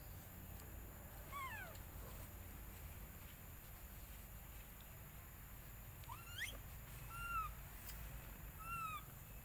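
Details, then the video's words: Baby monkey cries while begging its mother for milk and being refused: short, shrill squealing cries, one sweeping downward early on, then a cluster of arched and rising squeals late in the clip, over a steady low outdoor rumble. "Very Pity Rainbow Beg Milk Mom But Mom Rejected Hardly"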